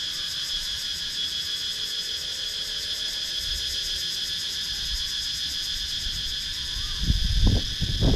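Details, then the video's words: Cicadas sounding in the wooded countryside of Sakon Nakhon, Thailand, filmed on a GoPro Hero 9; a constant piercing buzz dominates, joined near the end by low thumping bumps. "Cicadas Sound"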